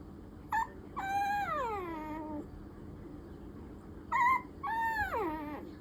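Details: Affection-seeking Maltese–Pomeranian mix puppy whining: a brief high yelp, then a long drawn-out cry sliding downward, repeated twice with a quiet gap between, over a low steady indoor hum.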